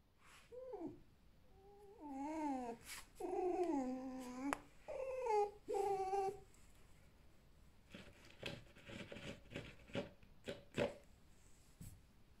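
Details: Alf, a captive red fox of the bright fiery 'ognevka' type kept indoors, making a lazy evening 'ururu': soft, wavering whines with rich harmonics that slide up and down for about six seconds, then indoor clicking and tapping.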